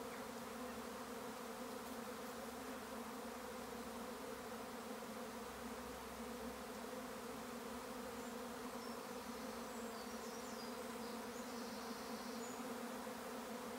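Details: A honey bee swarm in May on a regenerative farm in County Kilkenny, Ireland, fills the air with a dense, steady, low droning hum made by countless wingbeats.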